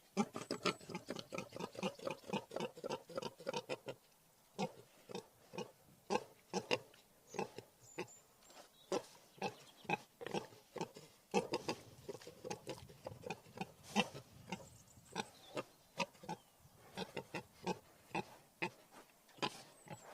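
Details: Wild boar vocalising with a dense run of short, rough grunts and snorts, some squealing bursts, coming in quick irregular volleys with brief pauses around four and eleven seconds.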